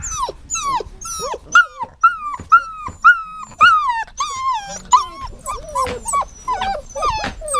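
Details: Whining dog giving a steady series of high, nasal whimpers about every half second. Each cry bends sharply up then down, with a few lower, softer whines toward the close.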